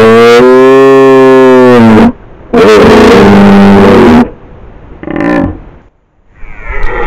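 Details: Close-range rutting roar of a frenzied red deer stag brushing a trail camera in the woods of the Modena Apennines near Fiumalbo, Italy: two deep, harmonic, drawn-out bellows of about two seconds each, then snorting breaths and rustling.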